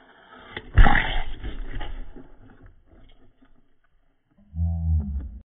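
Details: Angry pet African bullfrog, called a pixie frog, sounding off indoors: a sudden loud, harsh broadband burst, then a quieter fading rumble, and finally a low, steady droning croak with stacked harmonics near the end.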